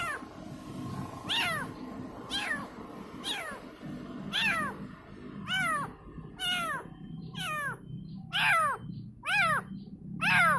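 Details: Persistent high meows from a kitten calling its mother, about one per second, growing louder and sharper toward the end, each a quick downward slide over low room noise.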